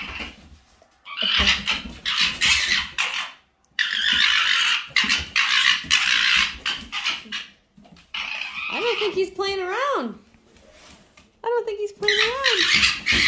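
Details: Fawzi, a fox, turns territorial and displeased at another fox's presence: loud harsh raspy screeching bursts in long runs, then wavering whining, rising-and-falling cries near the end, with a man's voice urging him to sit and stay.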